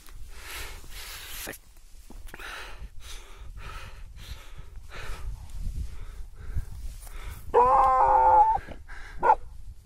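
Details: Gaddi dog, a Himalayan dog, at Annapurna Mountain in Nepal during play; scattered soft rustles and brief noises, then a drawn-out harmonic whine near the end, followed by one short yelp.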